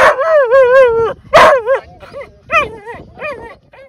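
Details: Whippet giving bursts of tonal, wavering whining yips. A long warbling cry opens, then shorter rising-and-falling yelps follow in separate bursts across four seconds, with little else audible.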